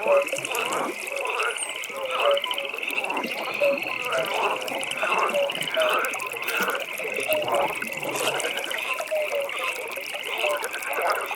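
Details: Night pond with a frog chorus: a constant high pulsed trill, softer scattered croaks and faint short tonal notes from many overlapping callers.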